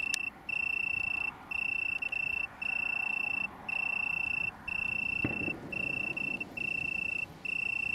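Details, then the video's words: Small colony of Italian tree crickets near Brighton, UK, 21 September 2019, producing a clear high-pitched purring trill in long runs of about a second with short pauses. Two isolated clicks, one at the start and one midway. "Italian Tree Cricket"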